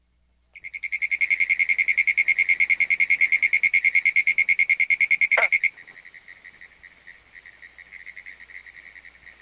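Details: A pinewoods treefrog (Hyla femoralis) gives a rapid, steady series of sharp, high clicks running together into a rattling, Morse-code-like burst; after it stops, a fainter frog keeps up similar clicking in the background.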